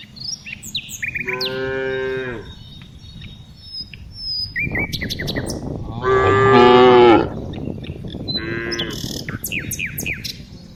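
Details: Afternoon herding of tame cows, with three moos: a mid-length moo, a louder, rough, drawn-out one, then a shorter one. Scattered bird chirps and a steady low background rumble run throughout.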